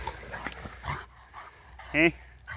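A Rottweiler gives one short, harmonic bark-like yelp amid light background chatter.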